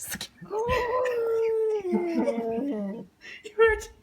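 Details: Frightened house cat reacting to a cat mask indoors: one long yowl sliding slowly downward into a lower, wobbling moan, then a short pause and a brief final cry.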